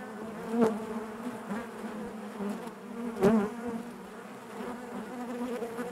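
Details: Constant humming of honey bees in the hive, a low rich drone with bright overtones, punctuated by two sharp close buzzes of individual bees a few seconds apart.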